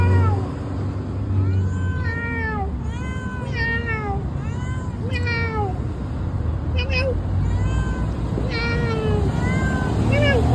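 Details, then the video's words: Talkative house cat Misifus answers its owner with a dense run of arched, bending meows, some short and chirpy, some drawn out and falling, overlapping a man's speech and a constant low vehicle hum. "Misifus el gato platicador, me habla pero no le entiendo!!!"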